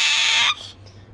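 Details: A young male pet Asian small-clawed otter, rescued before his eyes opened, gives a single harsh, high-pitched squeal while sound asleep after a full meal, reacting when his name is called.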